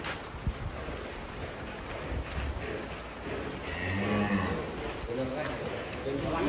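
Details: Large fattened cattle (sapi lemu) giving one low, drawn-out moo with a steady tone near the middle of the recording, over constant background noise and faint human chatter.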